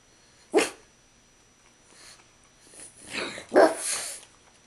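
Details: Dog at mealtime beside a coffee table where its owner eats, begging for food. It gives short, breathy, huffing barks: a single one, then after a pause two more close together, ending in a rougher burst.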